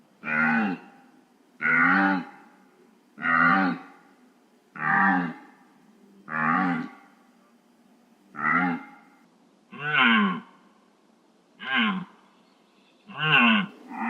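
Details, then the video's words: Real deer recording. A steady series of nine short, harmonic bleats, each a nasal arched note, repeated about every one and a half seconds. The background is otherwise quiet. "DEER SOUND"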